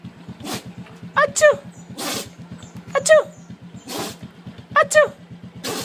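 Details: Excited at a neighbour's arrival, a dog lets out abrupt, hissing sneeze bursts, alternating with high squeaky paired yelps that drop in pitch, while an idling motor throbs continuously underneath.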